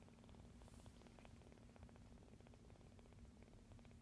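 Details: Sleeping rescued kitten kneading the air amid surrounding noise, purring in a low, even throb with quick pulses, soft and continuous for a few seconds.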